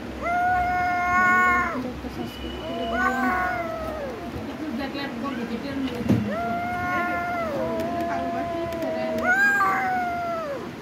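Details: Domestic cat meowing repeatedly, each call a drawn-out, slightly falling meow lasting one to two seconds, four or five calls in a row with short pauses between them and faint background noise.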